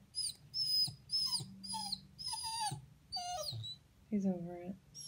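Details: A wolfadoodle dog that wants to get up on a couch gives high, drawn-out whining moans in several short bursts, then a lower wavering whine near the end, while a person talks encouragingly over it.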